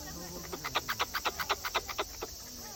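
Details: Wild squirrel visiting a house, vocalizing while eating: a rapid series of about fourteen short, evenly spaced clicking chirps over roughly two seconds, with a faint steady background hiss.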